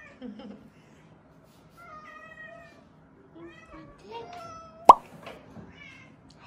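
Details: Faint, thin meows from small weak rescued kittens that were found leaning on each other, coming in brief separate calls across a quiet indoor background, with one sharp knock or plop partway through.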